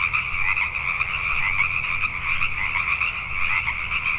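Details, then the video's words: Pacific tree frogs at night in Richmond, British Columbia, Canada, a thick chorus of rapid, overlapping croaks that never drops out over four seconds. "Pacific Tree Frogs at Night"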